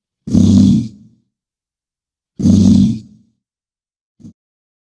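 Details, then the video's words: Two long rumbling bison bellows, coarse and throaty, each nearly a second, then a short faint grunt at the end; nothing else heard. "BISON SOUND"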